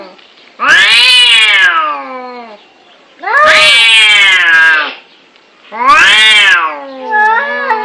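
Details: Fighting cats in an angry exchange: three loud drawn-out yowls, each swelling and sagging in pitch, separated by softer low moans and a brief warbling cry at the end.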